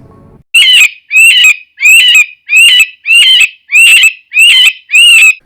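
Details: An Eastern cottontail rabbit gives a distress or alarm call: a series of shrill, piercing, wavering screams, each about half a second long and repeated roughly every two-thirds of a second, much like a human cry.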